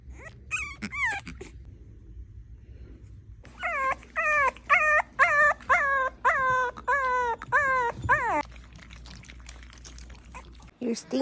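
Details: French Bulldog puppies cry in high, falling whimpers, repeated about twice a second.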